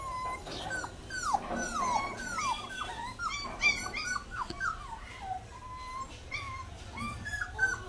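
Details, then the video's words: Baby dog whimpering softly, thin sliding whines that drop in pitch, repeated irregularly over a noisy, hissy background; quieter and more distant than a close recording. "cute baby dog barking 🐕‍🦺 puppy crying sound"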